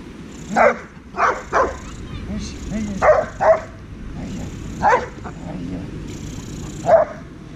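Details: Heusty, a ten-month-old Dobermann in training, barks seven times in sharp, loud bursts at uneven gaps over about seven seconds, often in pairs, while a man talks quietly in the background.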